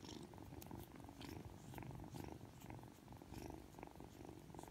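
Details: Aki, a three-month-old Ragdoll kitten, purrs indoors while being affectionate just after waking. A steady, low, rumbling purr swells and fades with each breath, with faint soft rustling above it.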